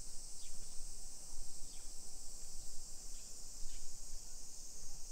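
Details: In Nisshin, a suburb of Nagoya in Japan, cicadas drone without pause on a summer street at 1 PM on 28 July 2021. A flat, bright hiss runs throughout, crossed by a few quick downward-sliding chirps and soft low murmur.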